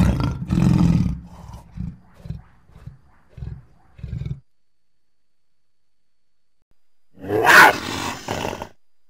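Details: Lion call that opens with a strong deep roar, then shorter low grunts that fade over four seconds. After a pause comes a brief harsher, higher burst.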